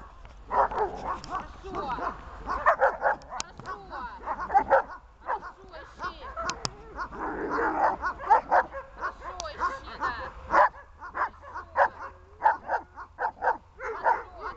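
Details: Glemmy, a dog in protection training doing a bark-at exercise, barks in rapid, dense bursts of harsh, mid-pitched barks, with a voice heard among them throughout.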